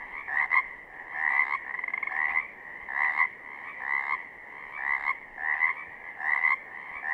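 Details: Pacific chorus frogs calling in southern Oregon: a dense chorus of raspy two-part croaks, each rising slightly at the end, pulsing roughly every second with overlapping callers.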